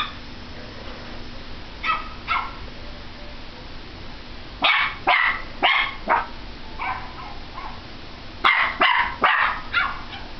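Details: Indoor Pomeranian barks at a computer in quick clusters, a few soft yips, then loud rapid volleys of three or four high-pitched barks, against a faint steady hum.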